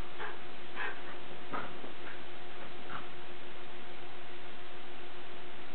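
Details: Lakeland Terrier at play gives a quick series of short, high yips and whimpers, about five in three seconds, then falls quiet over a steady low hum.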